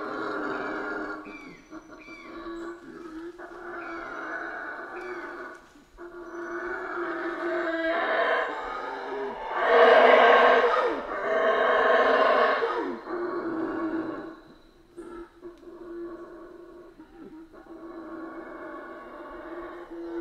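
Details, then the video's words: Central American rainforest howler monkeys start with a soft, droning background and scattered grunts, then build into a loud, rough roaring chorus midway before fading back to the low hum. "Rainforest Howler Monkeys Sounds"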